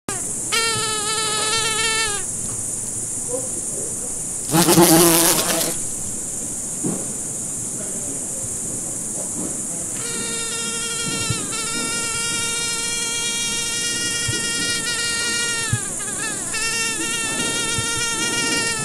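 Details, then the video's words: A fly buzzing in flight: a steady, droning hum with slight wavering, in bursts of about two, five and three seconds. A short loud rushing noise breaks in between them over a constant high hiss. "Звук мухи. Жужжание мухи."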